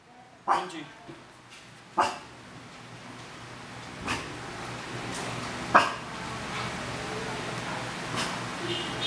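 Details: Maltese-Shih Tzu puppies in the Philippines, learning to walk for the first time, give brief, thin whimpers and yips spaced a second or two apart.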